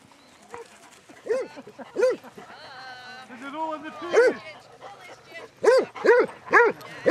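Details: Basset Hounds, twenty-two on a group walk at Belwade Farm, Dess, Aboyne, Scotland, on 2 October 2016; short arched bays repeated in bursts, closest together near the end, with people talking and calling in between.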